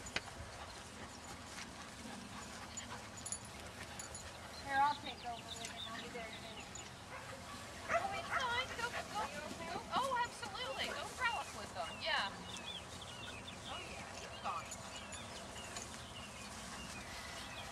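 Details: Standard Poodle puppies playing in a field on a pretty March day, giving scattered high yips and whimpers among human voices, with quieter stretches between bursts.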